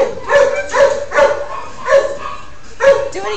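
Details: Shelter dog performing a trick on command, giving five short, tonal, squeaky yips in uneven succession, each a brief clear note, while a woman's encouraging voice urges it to do it again.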